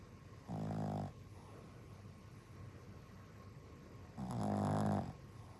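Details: Tired-out dog snoring: two drawn-out, low, throaty rasping breaths about three and a half seconds apart, each lasting roughly half a second to a second, over a steady background hiss.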